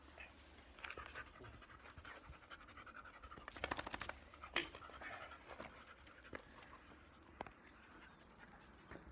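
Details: A shedding black Labrador Retriever, Bee, pants quickly and breathily while being groomed to remove her undercoat. Repeated scratchy brush strokes and sharp clicks cut across the steady, hissing breaths.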